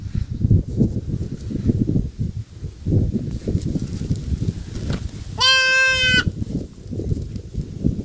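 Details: Goat gives a single clear, wavering bleat lasting under a second, set against constant low rumbling noise throughout.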